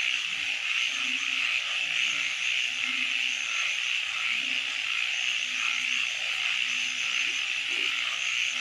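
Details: Frogs calling at night in a wetland: short low croaks repeated irregularly, several overlapping, beneath a dense, steady high-pitched chorus that hums on without pause.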